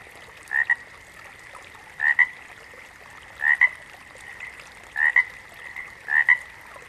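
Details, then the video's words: Frog calling in a natural setting: a two-part croak, a short rising note followed by a brief second pulse, repeated roughly every one and a half seconds over a steady high background hum. "Frogs - Nature Sounds"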